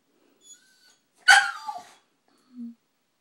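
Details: Pet dog whimpering after seeing a squirrel and wanting to go outside to stare at it: one short, high whine sliding downward, with a brief human voice just before and a faint low sound afterward.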